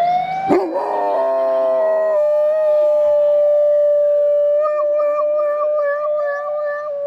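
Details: Domestic dog howling in imitation of an ambulance siren: a brief stepped two-tone wail, then one long, steady, high, siren-like note held for about five seconds, ending with slight wavering.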